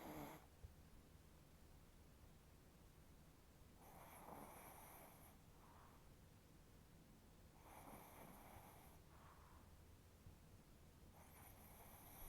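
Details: Indoors, a chihuahua snores loudly, its face twitching in sleep; slow, steady rasping snores roughly every four seconds, each a gritty buzz followed by a softer exhale, over a low room hum.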